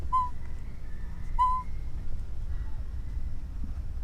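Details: An orphaned baby monkey gives clear, whistled coos, each briefly held, calling out to its mother.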